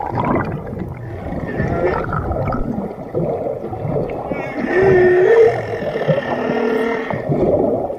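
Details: Whale vocalizing: a steady underwater rumble and wash, then a rising, whistle-like moan with rich overtones midway, followed by lower sustained tones.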